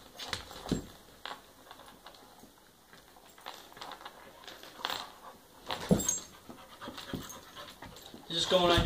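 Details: Playing together, a three-year-old pit bull and an eight-month-old dachshund puppy make panting and intermittent yelping or scuffling bursts, while human voices can be heard alongside. A louder cluster of sounds rises at the close.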